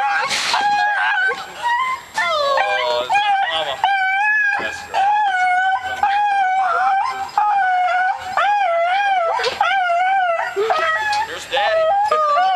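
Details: Pet dog overcome with emotion at a homecoming greeting, howling in sustained quavering notes broken by short pauses, rising and sliding in pitch, over a person's voice.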